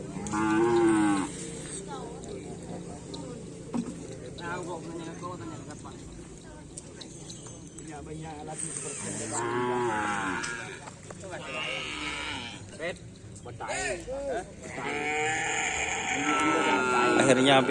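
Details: Cattle at karapan sapi bull race training on the Aseamanis field, lowing in drawn-out harmonic moos that rise and fall, loudest near the start, around ten seconds and toward the end, over steady crowd noise and voices.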